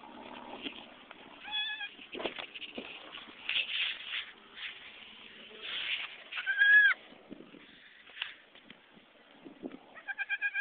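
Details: Goats on a farm while a nanny goat gives birth to kids: three short, clear, tonal bleats spaced several seconds apart, a wavering final one, over steady rustling and handling noise.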